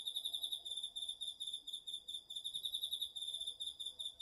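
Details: Crickets and other autumn insects at night in a home garden vegetable patch, taped on a DR-40X, give an unbroken, high, rapidly pulsing trill of chirps throughout.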